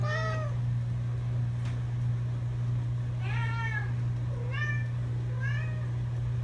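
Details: A cat keeps meowing during a ride to camp: four clear, drawn-out harmonic meows, each bending upward then down, spaced one to three seconds apart over a strong low rumbling hum.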